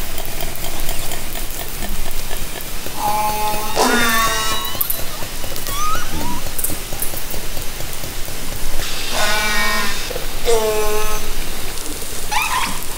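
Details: Underwater hydrophone recording made from a kayak in Haro Strait, summer 2010, of orcas: several harmonic calls that bend and fall, in bursts at intervals, mixed with clicks and loud broadband water noise.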